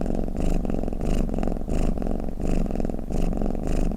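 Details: Cat snoring with a purring rumble: a deep throbbing drone, with louder rasping surges on each breath about every half second and quieter dips between them.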